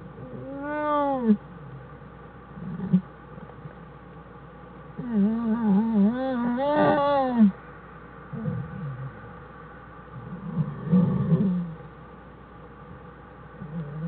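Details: American black bear mother and two cubs in their den on January 1, 2013; harmonic, arching wavering cries, one near the start and a longer rising-falling series around the middle, with lower grunting sounds between.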